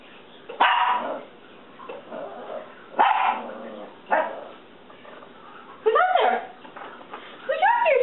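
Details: Pet dog barking at a reflection in a window indoors: short, sharp barks in separate bursts every one to three seconds, the last ones rising into higher yelps, with a person speaking softly between them.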